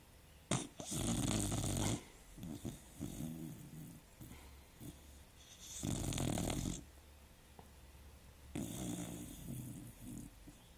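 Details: Female dog asleep and snoring; long, rough, rattling snores about a second long return every two to three seconds, with quieter wheezy breaths in between in a small room.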